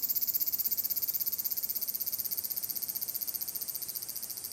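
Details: On 30 July 2022 a large brown cicada sings at Magarikawa, Furuta, Nishinoomote on Tanegashima, Japan. Its high, buzzy sizzle throbs about four times a second, starting loud and then gradually weakening.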